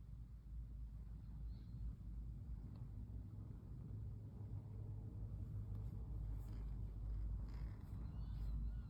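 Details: Brown tabby cat Pon, a female, melts under gentle stroking, her continuous deep purr steady throughout, with soft rustling of hands on fur in the later seconds.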